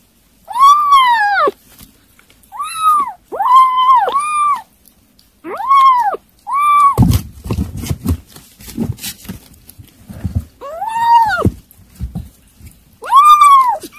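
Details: Kittens eating weaning food keep meowing, about eight arched, fairly high meows, some in quick pairs. Dish and eating clatter comes between them around the middle and near the end.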